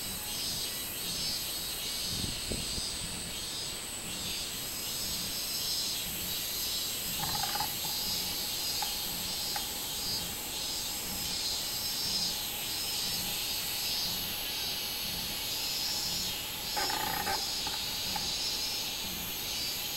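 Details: Robust cicada (minminzemi) singing on 24 July 2016: a dense, hissing high buzz pulsing roughly once a second, with a faint tonal whistle drifting in the background.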